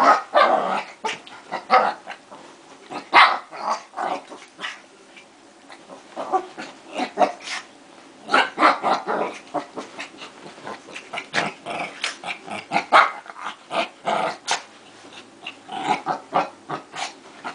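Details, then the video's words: Two dogs fighting, a dense run of sharp barks and snarls in rapid irregular bursts, with brief pauses between flurries. "Two Crazy Dogs Fighting"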